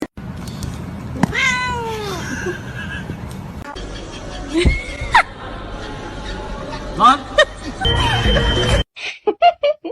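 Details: Domestic cat from a funny cat compilation giving several meows, one long falling meow near the start and later shorter rising ones, with speech, music and background noise around them.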